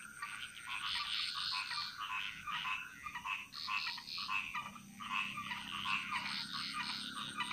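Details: Frogs singing a chorus in the jungles of Bali, Indonesia: a dense, continuous mass of overlapping croaks and rattling notes, pulsing in waves with brief lulls, and a steady high insect whine running beneath.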